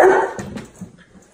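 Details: A Great Dane gives one loud, short, deep bark at the very start, followed by faint thumps and quiet room sounds.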